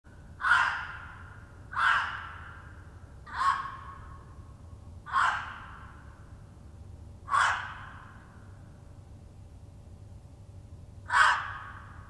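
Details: Gray fox barking to announce territory after smelling where a red fox passed hours earlier; six loud, hoarse, breathy barks spaced one to four seconds apart, each brief and harsh, over a quiet low hum.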